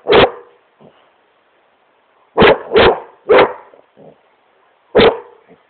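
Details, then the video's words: Smokey, a Great Pyrenees, barks at his couch while having fun in his room; five strong, deep barks, a lone one first, then a quick run of three and a final one, with faint soft noises between. "Great Pyrenees smokey barking at couch"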